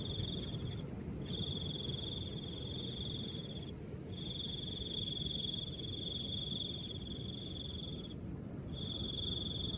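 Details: Cricket trilling in long high, even bursts of about two to four seconds, separated by short pauses, against a steady background of soft wind.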